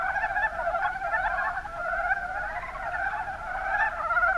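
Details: Chorus of mountain brown frogs from Kumamoto's Kuma Basin in Japan, many animals croaking at once in quick rattling pulses, forming a steady unbroken wall of sound throughout.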